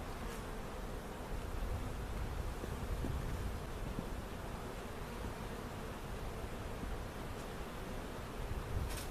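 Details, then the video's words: Removed bees and comb from a cutout hive placed in their permanent spot at Jerome Bee Farm in Central Oklahoma; a dense, continuous buzzing hum of many honey bees with a few faint clicks. "Relocating the Giant Bee Hive Cutout at Jerome Bee Farm"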